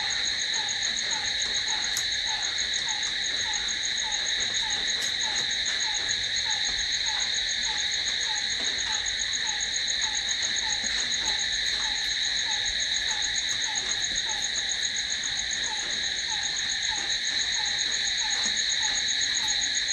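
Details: Crickets at night: a dense, unchanging high-pitched trilling chorus for the full span, under which a soft lower short note repeats rapidly, around three or four times per second.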